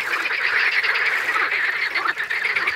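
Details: Green frogs croak in a dense, steady chorus at Crna Mlaka, a fishpond and bird reserve in Croatian oak forest; the rapid rattling pulses of the males attract mates and warn rivals during fights, blending into continuous churning noise.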